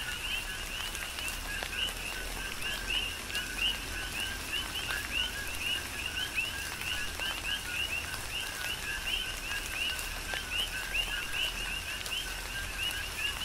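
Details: Coqui frogs calling in a tropical rain shower on the Big Island of Hawaii: a dense chorus of short, rising whistled chirps from many overlapping frogs. Steady rain hiss and scattered drips run underneath.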